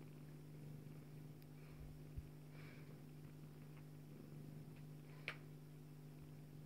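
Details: Joye, a Bengal cat mother, purrs while nursing her daughter Leeloo, a kitten: a steady low continuous hum throughout, with a few faint soft clicks and rustles indoors.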